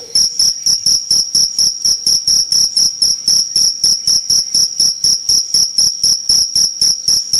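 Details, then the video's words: Close, loud cricket giving rapid, evenly spaced shrill chirps, roughly four each second, a piercing high tone with a fainter higher ring above it. "Jangkrik Gacor"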